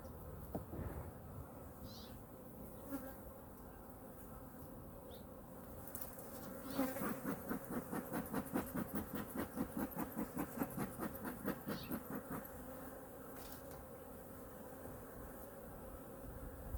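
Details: Honey bee colony in hive #2 opened for a winter inspection and feeding, with food reserves checked. A steady low hum with overtones runs throughout, and a burst of rapid regular knocking and handling noise fills the middle.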